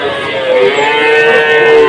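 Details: Cattle mooing at a cattle market in Tuban, Indonesia: one sustained, even, tonal low that holds its pitch throughout, with a faint hum of crowd and traffic beneath.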